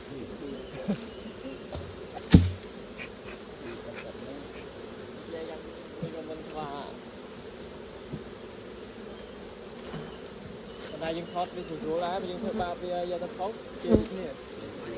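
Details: Honey bees at work around their hive during honey collecting, giving a continuous low droning buzz with a few sharp knocks and faint bursts of other noise.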